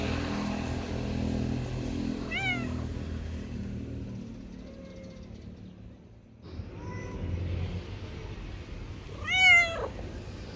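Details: Friendly male street cat meows twice, a short rising-falling cry and then a louder, stronger one near the end, with low rumbling background noise and a brief quiet gap between.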